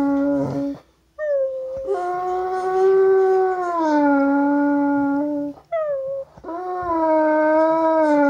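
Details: An Alaskan Malamute "sings", giving a few short whining notes and then long, steady, mid-pitched howls, as if crying, complaining and talking.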